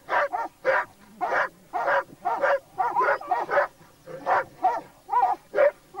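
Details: Laika hunting dogs, on a wild boar hunt with a labrador, bark steadily in loud, hoarse, evenly spaced yelps, roughly two per second, with brief gaps between.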